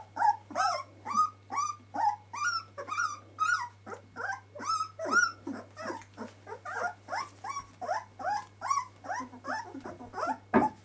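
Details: Puppies aged twelve days crying in a steady stream of short, high, bent whimpers, roughly two to three per second, several pups calling at once above a low background hum.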